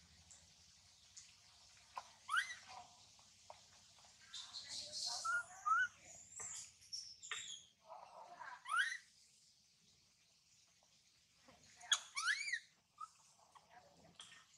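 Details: Tiny baby monkey Mila crying loudly as her mother Malika warns and weans her: shrill, rising and falling screeches in scattered bursts, some sharp upward sweeps, with quieter gaps and faint background noise between cries.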